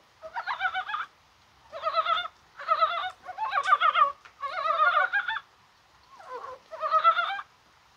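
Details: Korean brown frogs calling on a rainy, spring-like day on 21 January: a near-continuous run of pulsed, clucking croaks in bursts of about one second, with short gaps between them.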